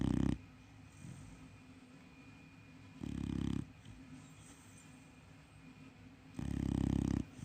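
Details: A sleeping Chow Chow puppy snoring: low, rough snores about every three seconds, each lasting under a second, with quiet breathing between.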